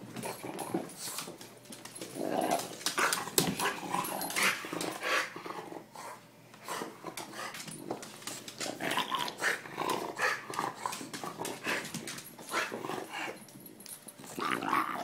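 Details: Pet dog in a hyperactive, crazy play mood indoors, growling in rough bursts with scuffling and thumping noises throughout, sounds echoing in a small room.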